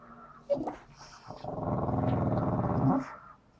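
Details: A Staffordshire Bull Terrier cross (Canis familiaris) gives a drawn-out, groaning whine, wanting a ball stuck out of reach behind the sofa.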